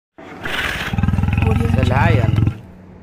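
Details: Lion roaring over background music: a deep, rumbling, pulsing roar lasting about two seconds, with rapid throbbing beats and a rough, grating rise in the middle before it cuts off.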